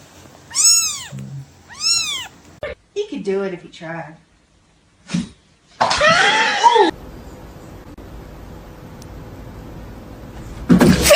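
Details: Domestic cat indoors giving two clear, drawn-out meows, each rising then falling, about a second apart, followed by a person talking and a burst of rustling noise.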